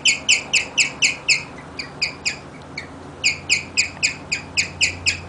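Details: Rigel the guinea pig serenading with chirps: rapid high-pitched tweets at roughly four a second, faltering into softer, broken notes midway before resuming the strong, regular chirping.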